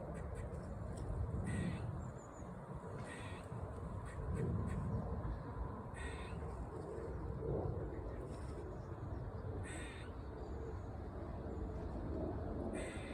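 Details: Squirrel heard during an autumn park stroll, loud and bizarre: brief, rasping, scratchy bursts repeated at uneven intervals of one and a half to two and a half seconds, with low wind noise throughout.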